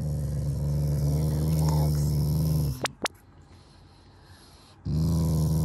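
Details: Affectionate, not angry, growling from a pet Shiba Inu toward its family: a deep, continuous rasping rumble for under three seconds, a pause with two sharp clicks and a woman's quiet Japanese voice, then the rumble resumes.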